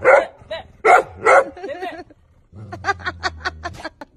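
A Golden Retriever gives three loud, full-throated barks, followed by a run of quicker, softer pulses.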